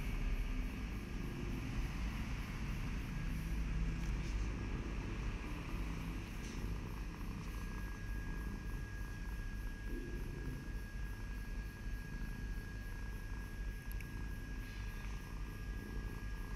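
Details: A pet cat gives a continuous low purr, rumbling evenly for the whole stretch, with a faint steady whine and occasional light clicks behind it.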